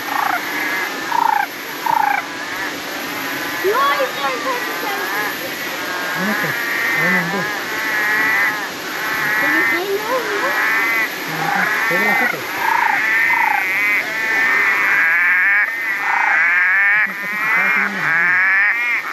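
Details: Frog chorus at Natural Bridge, Springbrook National Park, Gondwana rainforest near the Gold Coast, Australia, with frogs calling everywhere; many overlapping warbling, wavering trills and short rising notes form a dense, continuous chorus, with a person speaking faintly.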